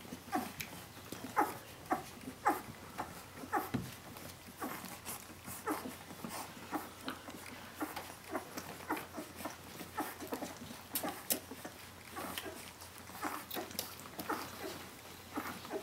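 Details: Seventeen-day-old puppies of the dog Brenda calling for their mother: a steady run of short, high whimpers and yips, roughly one per second, overlapping one another with little pause between them.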